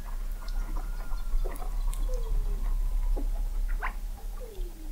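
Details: Weddell seals under sea ice in McMurdo Sound, Antarctica, recorded November 2017 from an observatory 21 m below the ice; a long falling whistle, short downward chirps and brief rising sweeps over heavy low rumble.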